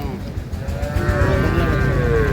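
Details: Low, drawn-out moo from dairy cattle at Ambari Haat market, Dinajpur, on 9/3/25, where improved-breed milk cows and calves are sold; the tone slowly rises and holds beneath steady crowd noise.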